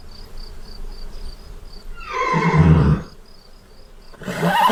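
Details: Horse calling with a single sliding cry that drops from a higher pitch into a low, rough rumble over about a second. A faint high tone repeats in the background, and another call begins at the end.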